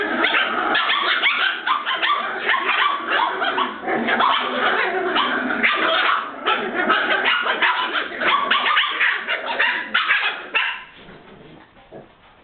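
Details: Several Border Terrier puppies playing together give a dense, continuous stream of overlapping high yaps and squeaky barks for about ten seconds, then fade to quiet scuffling.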